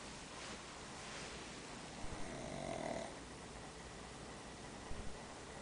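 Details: Diego, a pet dog, asleep after daycare, snoring: one slow, rasping breath swells and fades around midway, with faint clicks and steady room hiss around it.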